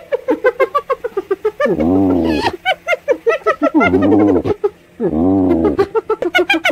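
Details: Hyena laughing by a riverside in daytime: rapid bursts of high, staccato giggling notes, about eight per second, broken by three longer, wavering, nasal moaning whoops, each lasting under a second, then more giggles.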